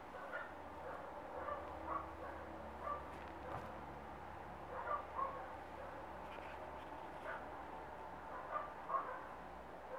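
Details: Short, thin, high-pitched squeaky yips from Glamour Auksine Zvaigzde, a Rough Collie puppy of one and a half months, come in scattered pairs across ten seconds against constant low room noise.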